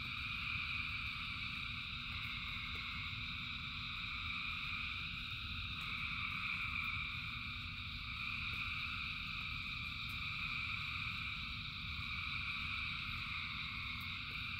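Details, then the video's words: Thousands of frogs singing in the rain: a dense, continuous chorus of trilling calls layered in several high bands, over a steady low rumble of rainfall. "Frogs in Rain 2 Hours of Frogs, Thousands of Frogs Singing"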